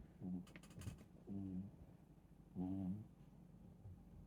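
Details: Sleeping Chihuahua snoring: short, low, buzzy snores about half a second long, coming roughly every second and a quarter in a quiet room, with a few faint clicks early on.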